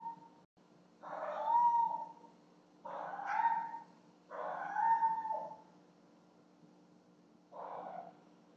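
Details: Two pet cats at night, carrying gifts to their owner in a nightly ritual, caught on a home security camera in a lit hallway: four drawn-out, wavering yowls, each about a second long, spaced irregularly over steady low electrical hum.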